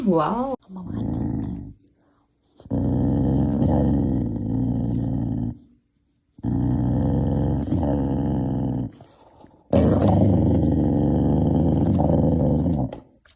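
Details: Corgi dog growling in three long, low, rumbling bursts of roughly three seconds each, separated by short pauses, with a brief higher wavering sound at the very start.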